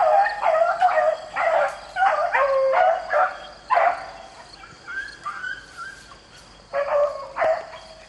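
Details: Beagles baying while rabbit hunting in the rain: a rapid chorus of ringing, bawling notes with strong harmonics, about two per second in bursts, several hounds overlapping, with a short pause before a final burst.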